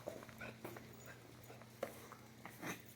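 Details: Great Pyrenees puppy giving brief, high, thin whimpers in three separate bursts, the clearest near the start and two more later, over a steady low electrical hum with a few soft knocks and shuffling noises.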